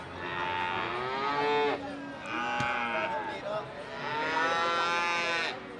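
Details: Three strong bellowing moos in quick succession from cattle at Pasar Sapi Ambarketawang, Gamping, Yogyakarta. Each call is harmonic and wavering, separated by short pauses, with a few brief knocks and crowd noise between them.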